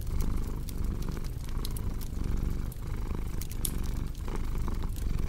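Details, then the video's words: Soft, continuous low purr of a cat with a faint rhythmic swell, heard beneath the popping and snapping of a crackling fireplace. "Purring Cat with Cozy Crackling Fireplace Sound"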